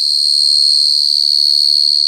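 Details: Cricket producing an unbroken, piercing high trill with a slight rapid pulsing, steady in pitch and loudness from start to end.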